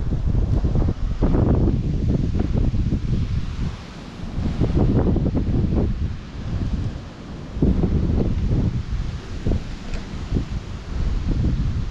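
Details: Gusty wind buffets the microphone outdoors with rustling bursts that swell and fade; no animal voice heard.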